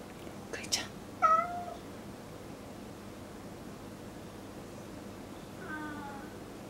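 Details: Domestic cat in a home with furniture and a new table; after a few sharp clicks comes a distinct, slightly falling meow, then a softer, fainter second meow several seconds later, with low room noise throughout.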